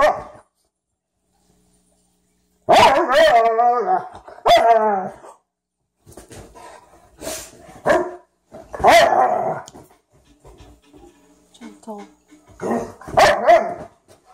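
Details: Play between a Frenchton and a Rhodesian ridgeback meeting for the first time. After a quiet start come sharp barks and short wavering growls, then softer grumbles and scuffling in an indoor room.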